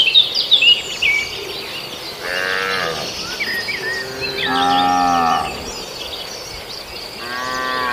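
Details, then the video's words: Cattle in Indonesia raiding villagers' green grass while eating. Three drawn-out, harmonic moos rise and fall near the start, middle and end. Chirping birds and insects fill the background. "rumput hijau warga di serbu sapi, suara sapi"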